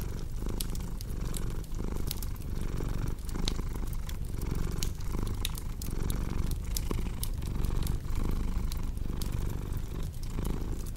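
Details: Cat purring in a deep, even rumble over eleven seconds, rhythmic swells on each inhale and exhale, accompanied by frequent bright fireplace crackles.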